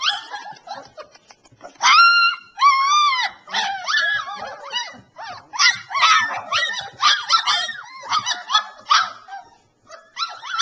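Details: A litter of Alaskan Malamute puppies, three weeks old, in southeast Iowa: high, wavering whines and yelps overlap constantly, several pups crying at once in loud bursts with brief pauses, some calls sliding upward then dropping.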